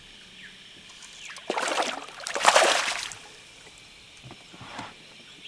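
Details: Water sloshing and splashing from a boat on a river, with bursts of noise and no animal calls.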